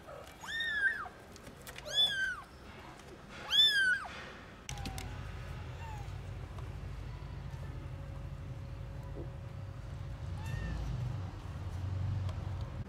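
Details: Tiny newborn kittens out in a garden for the first time, meowing loudly: three clear, high, arching meows about 1.5 seconds apart, then quieter faint mews over steady low background rumble.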